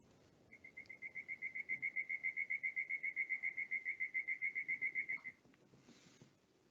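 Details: A Darwin's frog, calling from the forest floor and hard to see, gives a bird-like series of clear, high whistled notes, about four per second for five seconds, steady in pitch, over faint background hiss.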